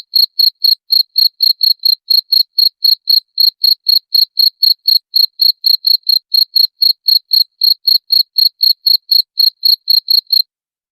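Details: A cricket, presented as a rat-repelling sound, keeps up an unbroken run of sharp, high chirps at about four per second for over ten seconds, each pulse crisp and evenly spaced, with a perfectly quiet background.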